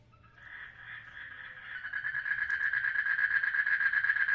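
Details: Mating frog in a water lily pond gives a rapid pulsed trill, about three pulses a second, starting softly and growing louder and steadier throughout, with faint low background hum.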